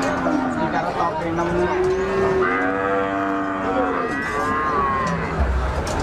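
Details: Cattle lowing in drawn-out, harmonic moos that rise and then fall over several seconds, with a steady background hum of people and activity.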